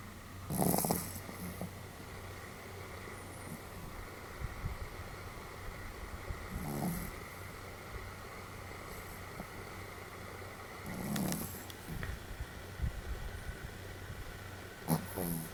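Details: Pomeranian named Sam snoring fairly heartily, 31 July 2015; soft, breathy snorts return roughly every four to five seconds, quieter here, with a constant low hum filling the room between breaths.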